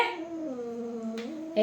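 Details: Domestic cats in a fight: a low, moaning, sustained yowl that sags slightly in pitch, ending in a sudden louder burst.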